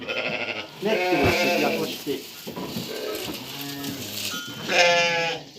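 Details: Lambs at evening feeding, about one and a half months old, being given feed. Several short, quavering bleats overlap with a man's speech, and a louder bleat comes near the end.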